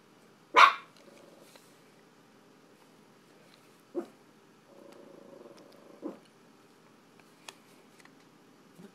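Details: A pet dog barks at dogs on the TV screen: one loud, sharp bark, then two smaller barks spaced a couple of seconds apart, with low grumbling growls in between in a quiet room.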